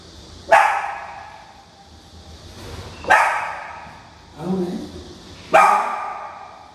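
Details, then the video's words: Apartment dogs in Mangpo-dong, Suwon, barking at outside noises and footsteps that lead to complaints; four sharp barks spaced roughly every one to two and a half seconds, one lower, with a person calling to them in between. "수원 영통구 망포동 아파트 강아지 소음 해결"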